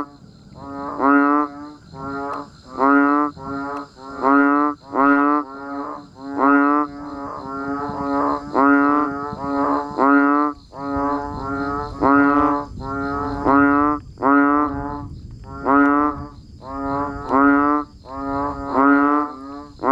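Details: Banded bullfrogs and other frogs calling as rain falls, recorded in natural surroundings: a dense chorus of deep, nasal, mooing bleats, each under a second, overlapping almost continuously, with a softer rough background hiss in the second half.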